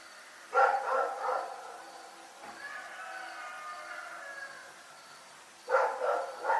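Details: Night barking from the dog Rex: a cluster of three fast barks, a drawn-out tonal stretch in the middle, then another rapid run of three barks at the close.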